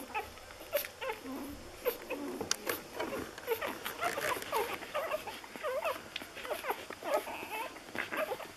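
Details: Six-day-old Lagotto Romagnolo puppies of an A litter in Hamburg, a chorus of overlapping high, thin squeaks and short arched whines from several pups at once, with soft rustling beneath.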